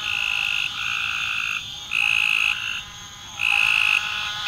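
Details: Frog calling with long, steady, high-pitched trilled notes, each lasting about a second, three in a row separated by short pauses over a constant ringing background.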